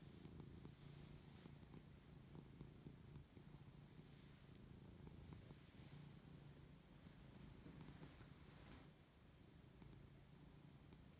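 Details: A Siberian cat, just waking, purrs contentedly while being fussed over; a constant deep vibrating purr with gentle rhythmic pulsing, accompanied by light rustling and occasional faint taps.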